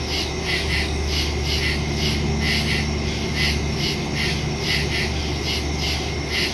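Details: Night woodland crickets recorded on September 2, 2023 with a phone and stereo microphone: rhythmic pulsing high chirps in a thick chorus over a constant low hum and droning background.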